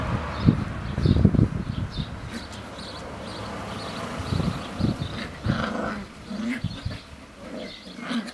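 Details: Seven-week-old Sealyham Terrier puppies, the litter of Whitepepper's Norah Jones at kennel Rosgaard, playing on a hot summer day; low rumbling growls come in short bursts with scuffling, while faint bird chirps sound in the background.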